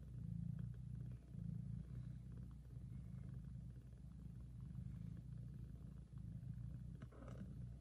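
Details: Loud, deep purring from a mother cat tending and feeding her tiny kittens, a lullaby-like rumble in pulsing breath cycles of about a second, with a brief rustle near the end.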